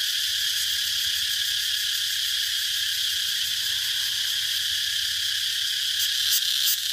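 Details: Cicadas giving a steady, shrill, high-pitched droning buzz that holds unbroken throughout, with a brief pulsing flutter near the end and a faint low hum underneath.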